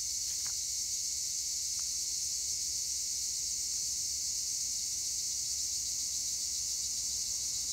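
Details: Continuous insect chorus of tree crickets (Acheta assimilis) among olive trees in Güre, Edremit, Turkey. A bright, unbroken shimmering buzz stays level throughout, with two faint clicks near the start.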